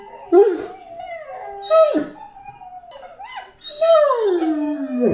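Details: Great Dane named Anúbis howling and yelping: wavering, tonal cries that slide downward, broken by sharp bark-like onsets, the last howl falling smoothly from high to low.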